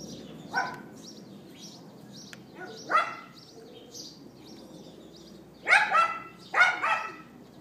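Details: Neighbour's dog recorded on an iPhone 4S on 18 April 2012 at 11:31 AM, giving yapping barks: a single bark, another about two seconds later, then two quick double barks near the end, with faint high chirps in the background.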